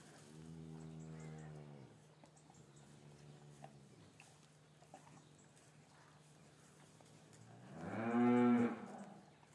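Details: Cows lowing in a traditional English farm yard on a winter afternoon, calves separated from their mothers; two moderate harmonic moos early, then a louder, rising bellow near the end over a low steady hum.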